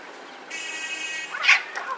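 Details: Domestic cat fighting on a road: a brief, strained, harmonic-rich yowl lasting under a second, followed by a sharp, loud hissing burst and a fainter trailing cry, over steady outdoor background noise.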